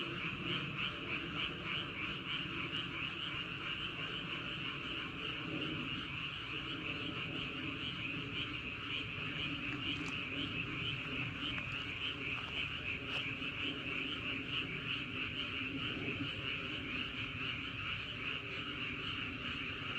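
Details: Night frog chorus recorded near Wolyeonggyo bridge and Hahoe Village in Andong, Korea: an unbroken wall of overlapping rhythmic croaks with a few louder individual calls, over a low wind rumble.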